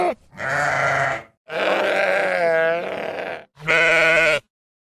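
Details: Farmed sheep bleating three times, the middle bleat long and wavering with a quavering tremble, the last short and nasal.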